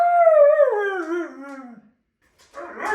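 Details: A Siberian Husky gives a drawn-out, falling howl that slides smoothly downward in pitch, apparently protesting when its owner seems ready to leave without him.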